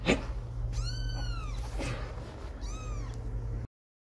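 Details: Kitten apart from its mother for the first time, meowing while it walks and stumbles during playtime; two drawn-out, arching meows, the first longer and louder, over a steady low electrical hum indoors.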